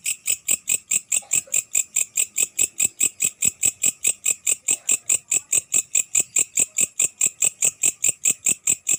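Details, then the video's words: Grasshopper heard at night, loud and close, giving rapid high buzzy pulses about four or five per second, very regular, each with a faint click, continuing unbroken. "Suara belalang malam"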